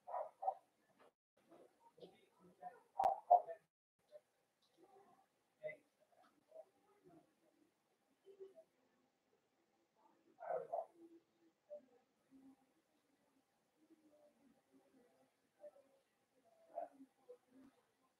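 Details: Blenheim Cavalier King Charles Spaniel puppies, a litter of five born around New Year's in a home puppy pen, give soft, scattered whimpers and squeaks throughout, with one louder cluster of squeals near the start and another midway.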